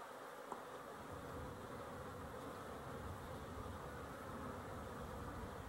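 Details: Honey bees, dated 12-11-23, massed together in a dense, unbroken low hum that stays even throughout, with no single bee standing out from the drone.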